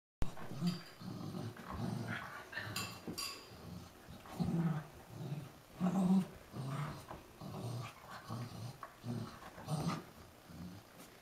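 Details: Cocker Spaniel dog starting to play indoors, giving low rumbling growls in irregular bursts about every second or so, with a few sharper higher snorts and huffs mixed in, in a small quiet room.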